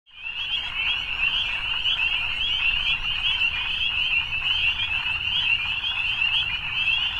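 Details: Evening frogs in a dense, unbroken chorus: many overlapping high trills merge into one shimmering, steady band that holds its level throughout, with a soft fade-in at the start.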